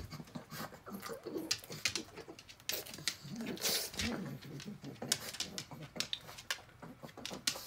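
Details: Sixteen-year-old female pug Rabi, blind and deaf, eating tuna indoors: loud breathy snorts and panting puffs mixed with quick wet chewing and licking clicks.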